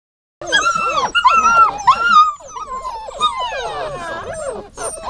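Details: Dog whining: high, wavering whimpers sliding up and down, overlapping in quick bursts, with a steady tonal thread and a few yelping breaks.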